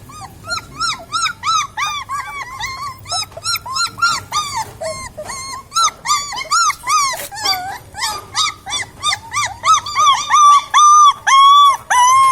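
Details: Cute puppies whining continuously, many overlapping high arched yelps and squeals that grow louder and more regular toward the end, a steady stream of repeated cries.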